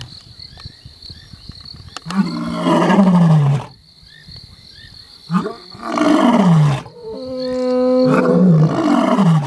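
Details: Male lions of the Mapogo coalition roar in deep, groaning bursts that swell and then fall away, with insects buzzing behind.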